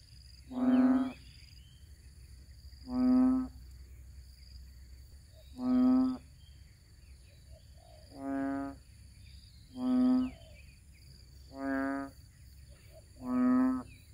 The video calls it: Frogs croaking